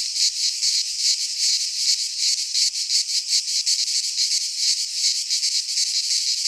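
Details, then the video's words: Greek pine-forest cicadas in midsummer produce a loud, shrill buzzing wall of sound that swells and dips in fast beats, roughly two to three per second, with no other noise. "Cicadas singing in midsummer - Nature sounds from the Greek fauna - Sounds of cicadas"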